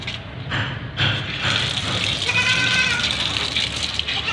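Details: Meowing of a white Persian kitten during a shower. A thin, strained meow rises partly above loud gushing water and splashing that dominate the recording.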